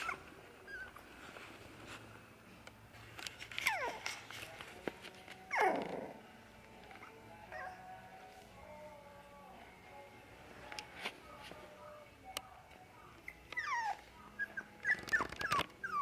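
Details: Jack Russell Terrier puppy siblings, slightly grown, indoors at a pet shop in Nara, Japan; scattered high whining yelps and whimpers, with one louder sliding yelp near the middle and a quick cluster of squeaky cries at the end.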